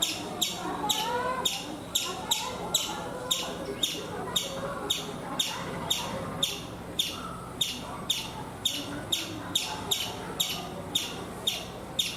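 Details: Chipmunk calling in India from a coconut tree: sharp, high-pitched chips repeated about twice per second at a steady rhythm, with faint twittering and ambient noise beneath.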